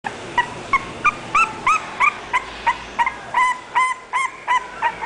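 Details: English bulldog named Goldie giving short, high-pitched yips with bright overtones, about three per second in a steady series, over a faint background hiss.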